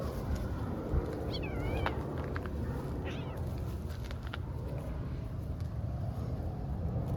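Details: Stray young cat play fighting with a tiny kitten in Istanbul; two short wavering meows in the first half amid steady low street rumble and faint clicks.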